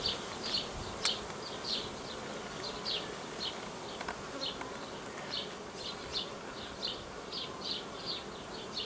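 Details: Buzzing of a honey bee swarm being cared for on 18 May 2018, its queens a year old or older. An even, unbroken drone runs underneath a long series of bright, repeated bird chirps, with a few sharp clicks.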